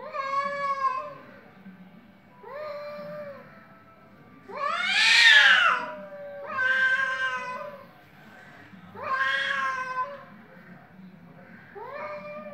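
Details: Dueling cats in a fight: a series of about six drawn-out meows, one rising into a loud, harsh, screaming yowl, others wavering and bending in pitch, separated by short pauses.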